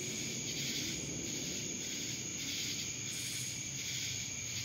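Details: Cicada chorus recorded in Dallas, Georgia, a continuous piercing buzz with quick throbbing surges over a constant high whine.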